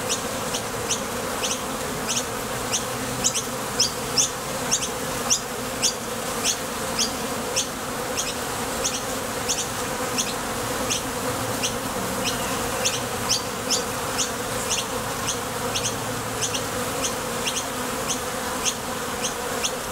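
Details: Busy entrance of a Top Bar Hive with honey bees departing and landing while foraging for nectar: unbroken low, rich buzzing and a rapid stream of sharp little clicks over the whole stretch.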